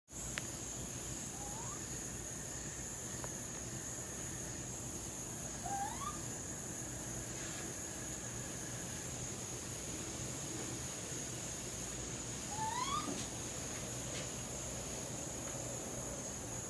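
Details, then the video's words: Baby raccoons searching for their mother give three short rising, whistled squeals with harmonics, spaced several seconds apart, over a steady high-pitched hum and background hiss. "Baby raccoons making strange sounds looking for their mama."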